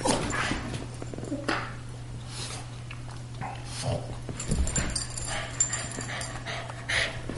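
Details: A greyhound and a Boston terrier, two household dogs, at play in a room: irregular snorts, huffs and short whimpering noises between scuffles over a constant low electrical hum.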